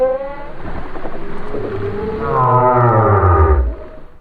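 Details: Whale singing, a recording of the kind played to the world half a century ago that changed how whales were treated: deep moaning tones with stacked harmonics, a low sliding groan near the end, continuous over four seconds.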